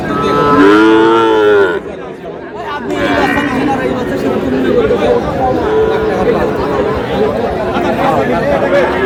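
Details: Sahiwal bull calves for sale at a cattle market in Dinajpur, Bangladesh, on 18 August. One loud, low, drawn-out moo lasts almost two seconds, then the steady chatter of people bargaining over prices fills the rest.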